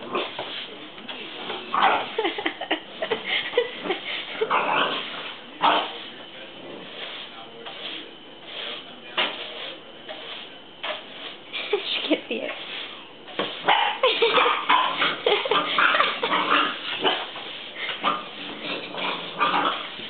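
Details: Boxer puppy, a female named Trixie, eight weeks old, attacking a broom indoors: rapid, irregular short yips and growly bursts, about four per second, over constant broadband scraping and rustling, with some human speech.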